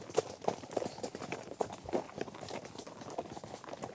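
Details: Herd of horses trekking across varied ground such as grass, dirt and gravel; scattered hoof strikes land irregularly, a few sharp clops standing out against soft rustling and faint background hiss.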